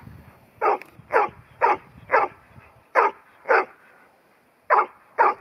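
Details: Ruby, a ten-month-old New Zealand Huntaway bitch sold as Lot 121 at Skipton, gives loud spaced barks roughly twice per second, with a short pause midway and quiet background.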